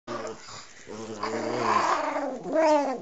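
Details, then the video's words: Pet Chihuahua indoors giving a drawn-out, voiced, moaning growl that rises and falls in pitch, sounding like a baby, ending in a louder, higher whining phrase. "our Chihuahua sounds like a baby"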